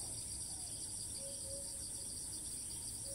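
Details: Cicada in Thailand that keeps calling after each flight, filmed at a distance from a monopod held at its base: a steady, shrill, pulsing buzz in two high bands, with a few short, low, tonal notes in the background.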